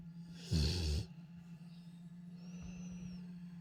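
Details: A Rottweiler gives a single deep, rasping snore, a brief rough burst over a steady low hum.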